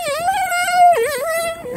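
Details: Excited Airedale Terrier greeting owners who have just come back, holding a loud, steady, high whine that dips briefly in the middle and then levels out again, ending abruptly.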